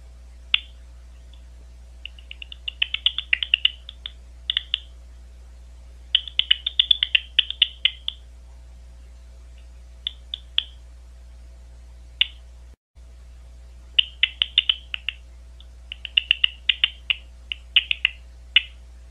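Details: Recorded on the Ohio State University grounds, a big brown bat produces irregular clusters of crisp, fast downward chirps, some dense and crackling, others isolated, scattered across the recording with a low background hum.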